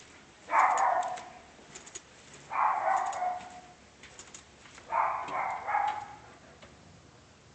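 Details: Barking dog, somewhat distant, with three spaced double barks, harsh and mid-pitched, about two seconds apart over a constant hiss of background noise.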